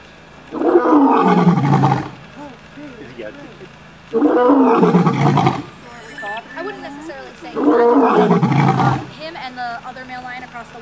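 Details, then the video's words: A captive lion at a big cat rescue in Tampa, Florida, recorded from about three feet away, gives three deep, rasping roars, each sliding downward, with people talking quietly between them. "Roaring Lion 3 feet away"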